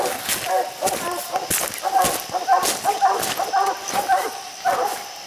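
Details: Dogs treeing raccoons on a steep hillside where six raccoons were counted; overlapping barks from more than one dog at an irregular rhythm, mixed with sharp clicks, rustling and brief human voices.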